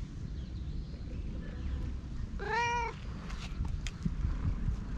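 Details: Calico stray cat with rare colouring, affectionately winding around its companion: one clear, arched meow, rising then falling, over a soft purring rumble, followed by faint rustles, on a GoPro HERO8.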